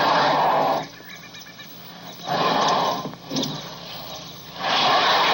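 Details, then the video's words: Elephant trumpeting: three harsh, blaring blasts about a second and a half each, broad and noisy across a wide range of pitch, separated by quieter pauses with faint background rustle. "Learn Trumpeting, Rumbling, and Roaring Sound Effects of Elephants"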